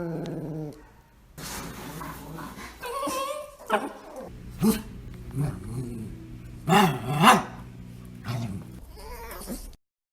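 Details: Pet dogs making weird noises indoors: a mix of soft whines, low grumbles and short yips, with wavering, bending tones between bursts and a quiet hum underneath.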